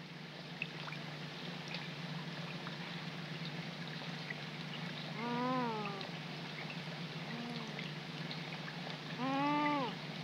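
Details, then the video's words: Young coypus calling at night in the rain beside a pond, March 2020: three arched, wailing harmonic cries, the middle one fainter, spaced about two seconds apart over a steady background of rain and low hum. "RAGONDINS/Cris de Jeunes/Myocastor coypus"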